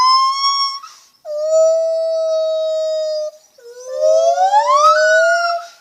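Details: Loud lar gibbon calling in long, pure, sustained tones: a high held note, then a lower flat one lasting two seconds, then a note that climbs smoothly upward before settling.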